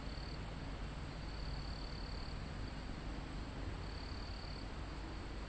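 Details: Live recording of crickets in a calm mountain forest near the summit, with a few high, even trilling bursts lasting about a second each, half buried under constant low wind noise moving through leaves.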